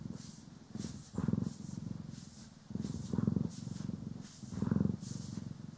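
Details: Contented purr of a domestic cat, Poki or Kiwi, during grooming and brushing, recorded in stereo: low buzzing rumble that quiets and swells with each breath, about three swells, light bristle swishes overhead.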